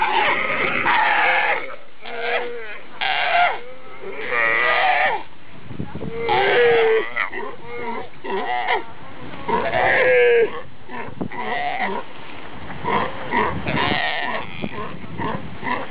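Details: Galapagos sea lions in family groups, seen at close range, give loud, bleating, wavering barks and moans in overlapping bursts, several animals calling, with some fighting among them.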